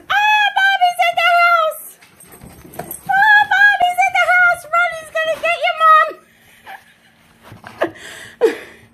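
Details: Tonka, an Alaskan Malamute indoors, makes drawn-out harmonic woo-woo vocalizations in two long wavering bursts, each with several quick rises and falls, then quiet room noise with faint clicks.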